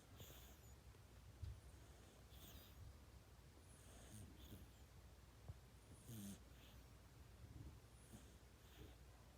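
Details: Asleep and snoring much like a person, a kitten breathes in soft hissing rasps recurring every one to two seconds, with a few small low thumps in a quiet room.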